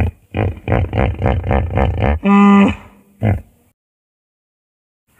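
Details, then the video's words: A hippopotamus gives a fast run of deep, throaty grunts, about four a second, ending in a loud nasal honk and one last grunt before silence. "SUARA KUDA NIL ASLI"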